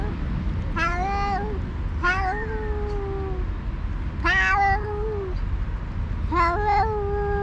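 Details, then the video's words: Two alpha stray cats on a cat island, leaders of two rival cat groups, trading drawn-out yowls to contest leadership while the other cats eat; four long, wavering meows spaced about two seconds apart over a low background rumble. "2 alpha cats are fighting by talking"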